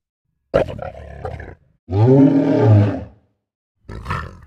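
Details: Lion: a short snarling burst first, then a sustained, strongly tonal, moaning roar of just over a second. It ends with a brief harsh snarl. The pieces are split by abrupt silent cuts.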